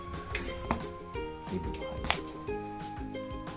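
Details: Plucked, melodic instrumental music plays indoors with a few light clinks, and no animal voice is heard.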